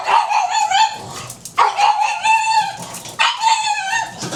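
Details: Pug at breakfast time giving three drawn-out, harmonic-rich whining yelps, each about a second long, separated by short pauses, the middle one steady and the last rising slightly.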